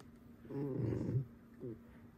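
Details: Alice the pet fox, being mischievous at home, makes a rough, throaty grumble lasting under a second, then a brief higher whimpering note.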